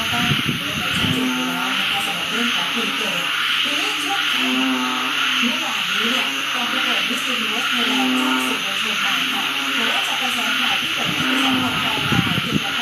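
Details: Many frogs calling near a house as the wet season starts: repeated short, nasal, harmonic notes rise and fall in an uneven rhythm, steady insect-like hiss above, with a thud at the beginning and end.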